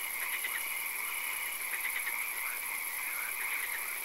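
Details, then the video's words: Swamp frogs at night during occasional rain, several callers giving short bursts of quick rattling croaks, separated by brief pauses, against continuous hiss and a thin high ringing drone. "Frog Swamp - Ambience ASMR - 3 Hours - Frog Calls, Swamp Sounds and Occasional Rain"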